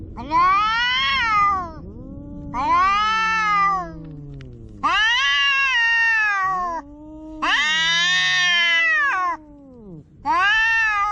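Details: Quarrelling house cats in a standoff trade five strident caterwauls in quick succession, each swelling and falling in pitch. Deeper, bowed moans overlap the gaps, suggesting two voices answering each other.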